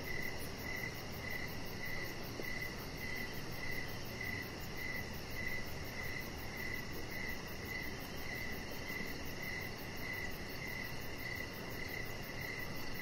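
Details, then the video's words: Outdoor evening ambience of crickets beside a deck with decoration lights, a Chihuahua puppy lying there. Bright, evenly spaced chirps continue without pause, joined by soft rapid ticking far higher in pitch and a constant low noise bed. "Chihuahua Puppy Laying On Deck with Cricket Sounds"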